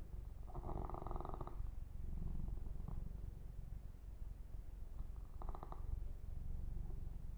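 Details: Yumak, a male pet kitten, purring while being massaged and groomed indoors, recorded ear to ear for ASMR: a deep, steady, low rumbling purr runs throughout, with two brief bursts of rustling fur-stroking noise.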